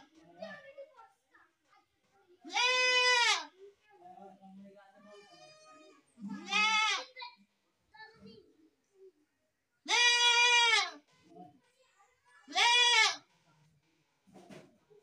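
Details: Goat (Capra hircus), bleat.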